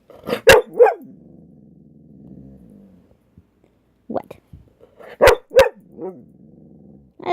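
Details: Dog being scolded indoors for talking back, answering with short barks and growly, talking-like vocalizations in bursts, the owner's voice speaking between them.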